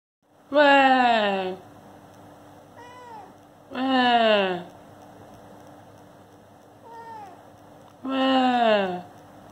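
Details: Kitten that does not want to be disturbed while sleeping gives three long, loud, drawn-out descending meows about three seconds apart, with faint softer chirps between them and a steady low hum behind.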